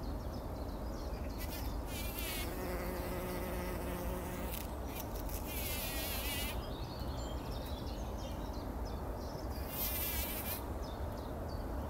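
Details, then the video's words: Bumblebees rolling in poppy blossoms early in the morning before sunrise, 2019, taking a pollen bath: a low steady hum swells for about two seconds mid-clip, over a rumbling background with high, twittering bird calls in short bursts. "Hummeln wälzen sich in der Mohnblüte – summend wird das Pollenbad angenommen"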